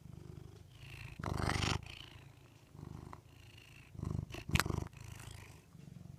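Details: Rudy, a domestic cat, purring in a deep, pulsing rumble, interrupted by a few sudden louder bursts of broadband rustling or handling noise.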